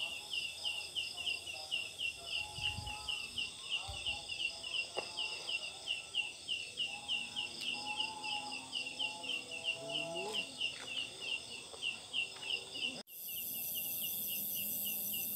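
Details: At night in a jackfruit tree, a large leaf-like katydid gives rapid, buzzy pulses about three times a second, a "ciakk ciangg" call likened to chicks or birds; Sundanese myth holds it signals grieving ancestors.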